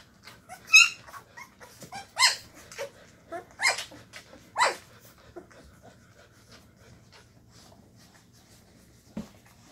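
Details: Llewellin Setter puppies, 2.5 weeks old, just finding their voices in the whelping box one evening after their mother stirred them up; a handful of sharp, high yips and squeaky barks in uneven bursts, then fading to soft rustling.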